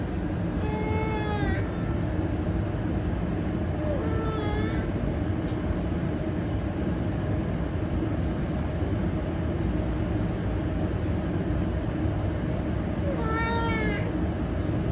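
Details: Smartphone playback of a domestic cat's meow for rescued house cats: three separate tonal meows, the first long and falling, a shorter one after a few seconds, and a final one near the end, over constant background hum.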